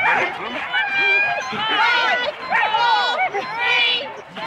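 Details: Several Huskies harnessed in four-dog sled teams clamour before the start, Rendlesham, January 2016; arched yelps and short barks come about once a second, layered with steady high whining, captured on cassette tape.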